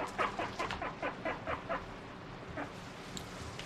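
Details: Guinea pig eating a sweet strawberry, bothered by its prickly hairs; a quick run of about eight short squeaky notes in the first two seconds, then a few faint ones.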